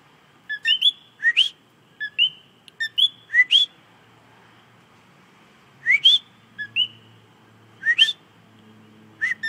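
A coqui frog repeats its sharp two-note 'co-QUI' whistle, the second note sweeping upward.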